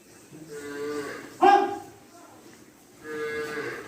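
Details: Cattle on a cow farm. Two drawn-out, tonal moos, one near the start and one at the end, with a sharp louder burst between them and a man's voice nearby.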